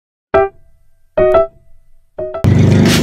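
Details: Three bright piano-like keyboard notes ring out and decay, followed by a burst of fuller music with a thumping low end.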